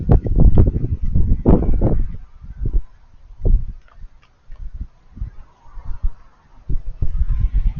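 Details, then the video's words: Raccoons eating: heavy, fast crunching at the start, then lighter, scattered chewing clicks and smacks with short gaps, and a few stronger crunches near the end. "Raccoons Eating & Being Cute - Cute Lil Crunchy Noises While It Eats"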